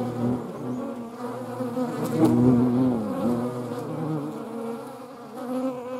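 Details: Buzzing European hornets among median wasps: a steady, layered wing drone with a deep hum beneath higher tones, one insect passing close and loud midway with a sliding pitch, then a softer continuing buzz.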